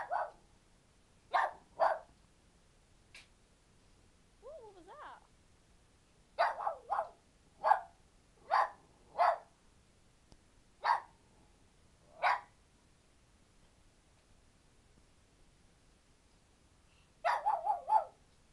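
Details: Two dogs suddenly start barking: sharp, short barks in irregular bursts, sometimes doubled, with a brief whine between them.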